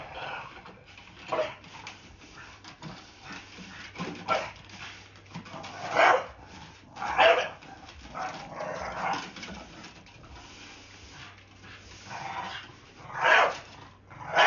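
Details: Pet blue Staffordshire Bull Terrier, frightened of a broom, telling it off: scattered sharp barks, the loudest near the middle and end, mixed with softer huffs and rustling indoor background noise.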